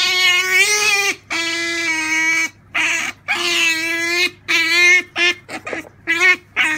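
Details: Captive pet Asian small-clawed otter at Halloween with a carved pumpkin, squealing insistently indoors: long shrill held cries broken by brief gaps, then quicker clipped chirps near the end.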